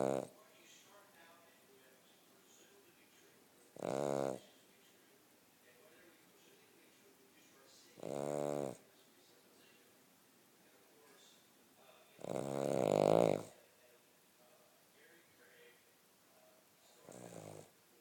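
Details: Cavalier King Charles Spaniel snoring while asleep: loud rasping snores with buzzy harmonic bands, spaced about every four seconds, the third longest and strongest, with quiet room noise between.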